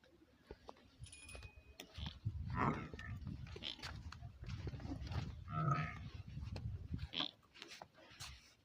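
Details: Buffalo calf in a village setting giving two drawn-out, low, hoarse moaning calls a few seconds apart, each swelling then fading, amid scattered clicks and knocks.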